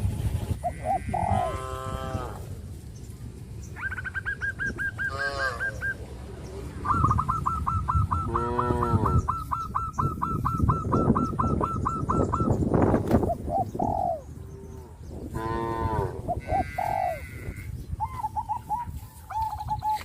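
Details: Cattle in a rural herd call to companions. Several rising-and-falling harmonic moos break through a busy background of fast pulsed bird trills and a constant low rumble.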